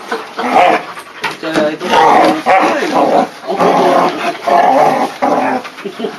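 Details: Pyrenean Mountain Dog puppies of seven and four months at play through a fence, giving drawn-out harmonic growl-whines in repeated bouts of about one second, with a person speaking Dutch softly nearby.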